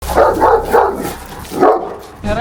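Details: An aggressive shepherd dog guarding a three-storey detached house gives a rapid series of deep, harsh barks as a stranger approaches; it later attacked while being petted.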